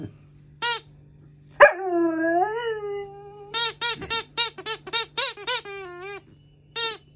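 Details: Maggie, a female Alaskan Malamute puppy, curious but a little scared of her new squeaky alligator toy: a short sharp yelp leads into a wavering, drawn-out howl, then a quick burst of high, rapid toy squeaks.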